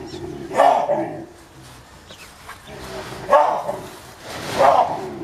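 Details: Baboons in captivity during a fight, with chasing, screaming and biting; three loud, dog-like barks spaced a few seconds apart, with a low voice murmuring in between.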